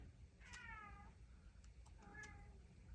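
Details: Pet domestic cat meowing in the background indoors while its owner gives a spoken reading; two harmonic meows, the first longer and slightly falling, the second shorter about a second later, over low steady background hum.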